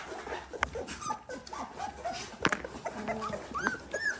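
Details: Eighteen-day-old Dalmatian puppies, indoors and eager to feed, make a busy chorus of thin squeaks and short whimpers, many overlapping, with occasional rustling and handling noise.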